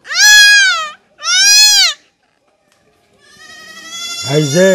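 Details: Goat kid under castration gives two loud, quavering bleats about a second apart. After a pause comes a steadier, drawn-out cry with a low throaty rumble beneath it.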